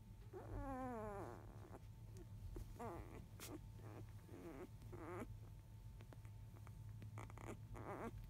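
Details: Newborn field-line Labrador Retriever puppies, five days old, calling while the mother dog eats just after 1 pm: one long wavering whine sliding downward, then scattered short squeaks and whimpers above a loud, constant low hum.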